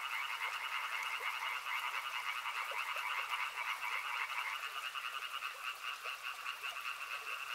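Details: Frogs chorusing along a river; a thick pulsed trill runs on, then part of the chorus drops out about two-thirds through, leaving a thinner rattling buzz with soft repeated clicks.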